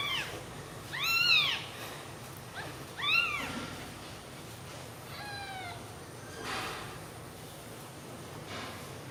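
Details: Newborn kittens sleeping together on milk give three high, arching mews about two seconds apart, each one rising then falling, then a fainter fourth cry over a quiet room hiss.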